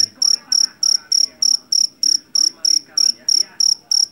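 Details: A field cricket (jangkrik jeliteng) taken from a rice paddy in Java gives a bright, ringing chirp roughly every third of a second, each pulse crisp and evenly spaced, with only soft low rumble beneath.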